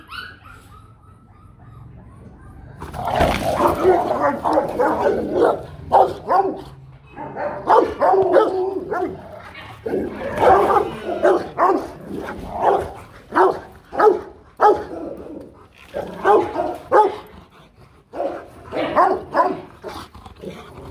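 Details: Aggressive Rottweiler barking to threaten another dog: after a quiet start, loud, powerful barks break out near three seconds and continue in irregular volleys of several barks with brief pauses to the end.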